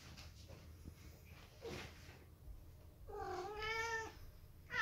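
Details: British Shorthair cats, a silver-coated family, indoors; a single drawn-out harmonic meow, falling slightly, near the end, with soft rustling and a brief faint cry earlier and another call starting at the close.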